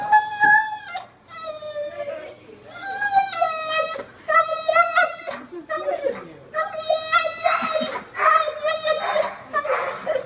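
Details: Steel, a Siberian Husky, vocalizing while unhappy about being given a bath: drawn-out, wavering, talk-like howls and moans with rich harmonics, rising and falling in pitch in bursts with short pauses.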